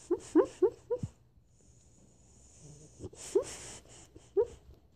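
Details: Sleeping dog dreaming and barking softly: a quick run of four short muffled yips, a pause with faint breathing, then a few more soft yips.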